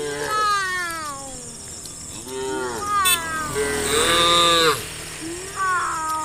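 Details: Cows being herded by farm workers into the farm pens in soft morning sunlight, calling in a series of overlapping drawn-out harmonic moos, some rising and falling, with short pauses between, over a steady background hiss.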